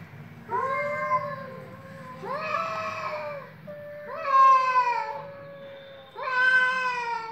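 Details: Cats meowing during a fight, four long, wavering, drawn-out yowls about a second each, rising then sagging in pitch, separated by short pauses over a faint low hum.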